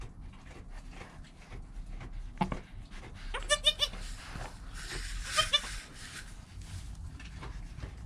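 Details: Goat kid Joel in his first hour of life beside his mother Penny, filmed with a GoPro; one brief, wavering, pulsed bleat midway, surrounded by rustling and handling noise.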